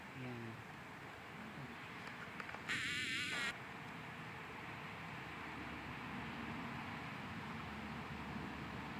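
Honey bees give a steady, low droning buzz, with a person speaking briefly.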